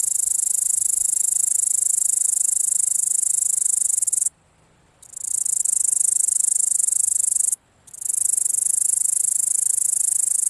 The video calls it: Grasshopper making sound